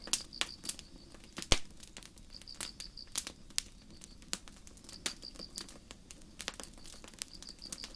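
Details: Crickets chirping at night in a forest under a starry sky: short bursts of rapid, high pulsed chirps every second or two, nearly masked by loud campfire crackles and sharp pops throughout.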